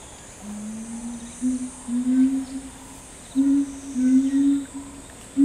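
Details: A chimpanzee troop led by Ryu, with twin girls, gives low droning hoots, short and uneven, some joined in pairs, over a faint high steady hiss.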